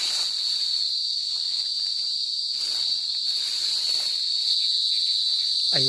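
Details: A cicada sings a steady, high, buzzing drone that never breaks, in a rural province of Bicol, Philippines.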